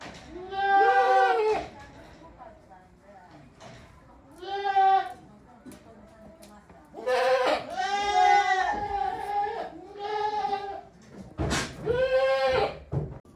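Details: Several goats in a shed on a handmade goat farm, 5 December 2023, giving varied and sometimes odd calls: six wavering, nasal bleats, some long and quavering, separated by short quiet gaps with faint shuffling.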